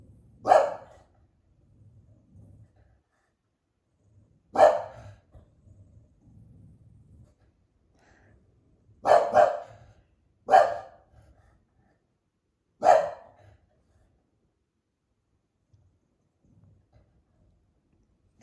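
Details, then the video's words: Female English Bulldog indoors, upset at people talking upstairs and a party next door, gives five sharp single barks spaced irregularly across eighteen seconds, with low household rumble between them. "English Bulldog responds to loud noise"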